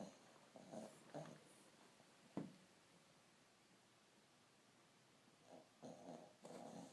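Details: Jack, a pet dog, asleep and snoring indoors in a small room: rough, breathy snorts in bursts near the start and again toward the end, with a sharp snort in the middle and quiet pauses between breaths.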